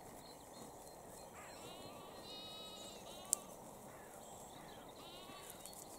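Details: Grazing lambs and sheep in Cambridgeshire, UK, on the evening of 20 April 2021, lambs poking heads through a fence to eat grass. Four quavering bleats, two close together then another pair, with sharp clicks and background hiss.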